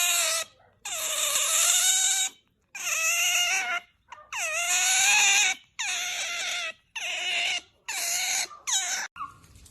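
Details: Strange otter noises: a run of eight loud, harmonic squealing whines, each about half a second to a second long, some starting with a rising or bending pitch, separated by brief silences.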